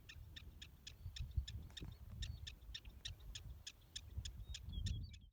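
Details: Prairie dog calling near Valentine, Nebraska: a fast, steady series of short, sharp, high chirps, about three to four per second, over a constant low rumble of wind.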